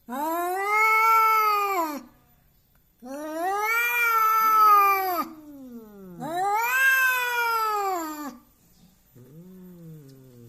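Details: Belligerent cat trying to intimidate, giving loud wavering yowls of about two seconds each that rise and sag in pitch, followed by lower moaning growls between the three main cries.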